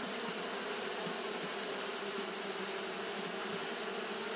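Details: Japanese honey bees fanning continuously on a hot day: a dense, steady low buzz with pulsing hum bands, unbroken across the clip, over a constant high hiss.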